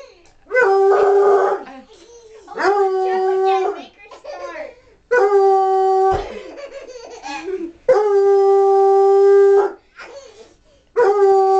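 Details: Redbone Coonhound named Rufus howling while entertaining kids: five long, steady, strongly harmonic howls, each lasting one to two seconds, separated by short gaps filled with softer, broken vocal sounds.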